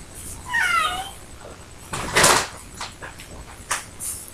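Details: Ricky, an adult cat waiting at the door to go out, gives a single high meow that slides downward, followed by a sharp knock or clatter and some soft rustling.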